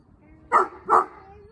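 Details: Miniature Beagle barking while playing with a Greater Swiss Mountain Dog: two short, sharp barks about half a second apart, each a loud burst, followed by a quiet background hum.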